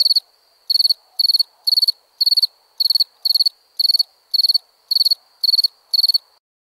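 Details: Crickets chirping at night: short, high, pulsed chirps, each a quick burst of several pulses, repeated about twice a second in a steady series over a quiet background.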